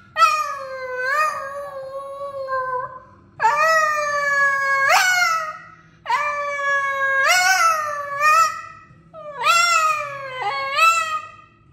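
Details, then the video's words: Boston, a very vocal male Boston terrier, sings in long drawn howls with rich harmonics: three sustained phrases that wobble and rise sharply at their ends, separated by short pauses, indoors in a small room. "Singing Boston Terrier Montage Vol.1"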